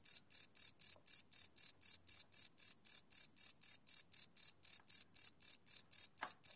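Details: Night chirping of a cricket captured live with a Sony PCM D100, no loops: bright, shrill pulses repeating roughly four times a second in an even rhythm, a brief soft click near the end.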